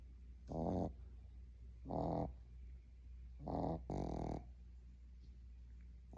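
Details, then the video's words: Boston Terrier puppy asleep and snoring, each raspy, buzzing inhalation lasting under a second and coming roughly every one to two seconds, four in a row, over a low steady background hum. "Boston Terrier puppy snoring"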